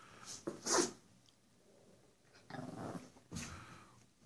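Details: Two Pekapom dogs, a smaller female named Stella and a male named Moose, being goofy for the camera: three short rough bursts of playful barking and growling, the first sharp, the later two longer and grumbling, with quiet gaps between.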